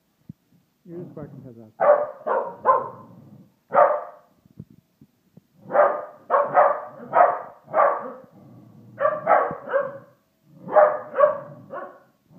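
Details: Indoors, pet Corgi Austin barks at a Christmas Homer decoration. Faint vocal sounds come first, then loud, harsh barks arrive in clusters of two to four, separated by short silences.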